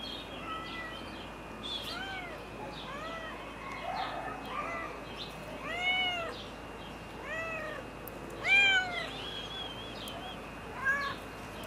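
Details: White female Turkish Angora cat filmed on a summer day in Florianópolis, Santa Catarina, Brazil, meowing again and again, about ten arching, rising-then-falling meows over a steady faint high whine.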